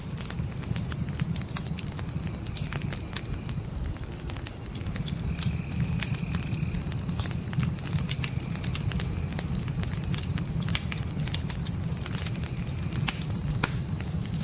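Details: Night crickets calling in a dark forest beside a campfire: a steady, high, rapidly pulsed trill, about four pulses a second, runs without a break over sharp fire crackles and a low rumbling roar of flames.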